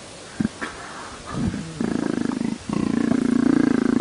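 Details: After a few scattered thumps and rustles, a leopard starts a deep pulsed purr that grows steadier and louder toward the end.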